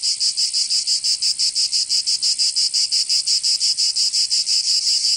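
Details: Cicadas calling in the Provençal summer in southern France: a loud, high, grating buzz broken into rapid, regular throbs, roughly six per second, continuous throughout.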